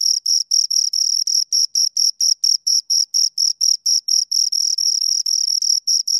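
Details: Close-range chirping of two crickets: high, rhythmic pulses that drift in and out of step, running together into longer buzzy stretches toward the end.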